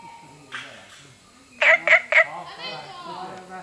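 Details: Günther's frog recorded on 23 September 2015 gives three short, harsh, clucking notes in quick succession, about a quarter second apart, over a quiet background with faint softer sounds before and after.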